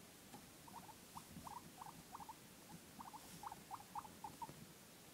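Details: Guinea pig indoors, making a run of short squeaky chirps around a mid pitch, each a quick rising blip, repeated several times a second with brief pauses; a quiet room hiss underneath.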